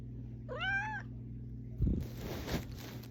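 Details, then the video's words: House cat meowing to wake its owner: one rising-then-falling harmonic meow, then bumping and rustling noises of movement over a low steady hum. "Cat Alarm Clock"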